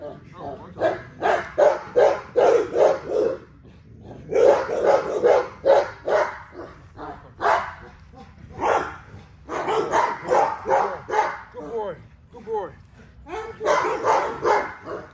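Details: Barking from an XL American Bully at exercise, delivered in rapid bursts of four to six loud, rough barks separated by short pauses, with a few drawn-out, wavering notes near the end.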